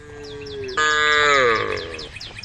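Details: A group of tame female cows calling the herd. A loud, rich, drawn-out moo starts abruptly and slides slightly downward over more than a second. A softer tone comes before it, with quick high chirping repeated in the background.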